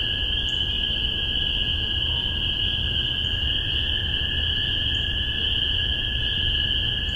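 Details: Spring peepers calling en masse in Massachusetts, spring 2015, on a spaced omni pair: a steady piercing chorus with a few clear rising peeps spaced one to two seconds apart, a lower humming band underneath.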